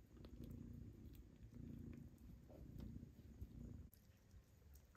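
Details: Mother cat and her kittens feeding, the kittens pushing for milk as they are weaned onto pâté. A deep, continuous purring drone rises and falls, with faint clicks and a brief rustle near the end.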